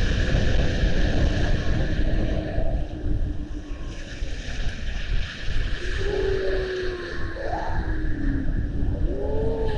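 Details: Young seals seen on an Estonian seal camera in February 2020; several short rising-and-falling tonal whoops and swoops in the second half, set against a heavy low rumbling wash of water noise.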